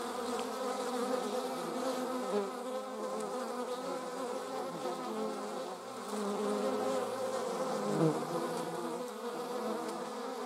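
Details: German wasps in flight, several at once: a dense, steady humming drone with layered overlapping buzz tones that shift slightly as individuals pass nearer and farther, continuous throughout with no other clear sounds.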